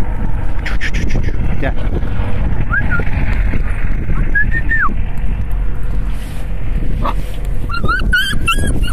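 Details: Stray street puppies met by a roadside give high, thin whines that rise and fall while a man calls them to come; Dog (puppy).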